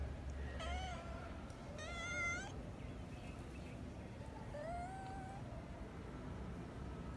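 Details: Kitten, a female, meowing at her sleeping father to get him to play; a short mew, a louder harsher meow, then a rising-falling meow later, with low background hum throughout.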